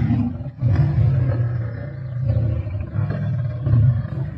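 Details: At a kill in Sabi Sands on 31 March 2024, male lions feed with a pride, giving a sustained low rumbling growl that barely pauses, wavering in loudness with a brief dip near the start.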